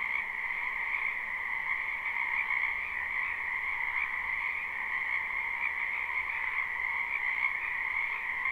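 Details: Live spring recording of a wetland full of croaking frogs: an unbroken, rhythmic trilling chorus holds level throughout, bright and high, with little else audible.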